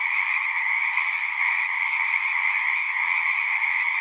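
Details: Singing frogs form a thick, even chorus, countless overlapping pulsed trills merging into one constant shimmer without pauses.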